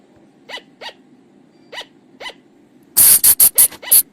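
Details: Flying lemur, a call used for luring at night: four soft, evenly spaced, rising-then-falling harmonic notes, followed by five loud harsh rasping bursts in rapid series.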